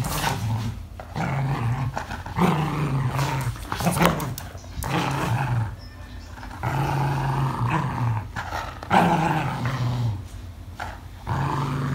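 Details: An English Cocker Spaniel growling angrily during play: repeated low rumbling growls in bursts of one to two seconds, rising into harsher louder snarls, with short gaps and scuffling noises between bursts.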